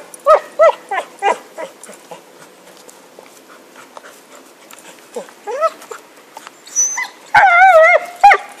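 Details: Happy, a dog with a stick in 2012, lets out a quick string of barks, falls quiet for a few seconds, then yaps again and ends with a long, wavering whine and one more bark.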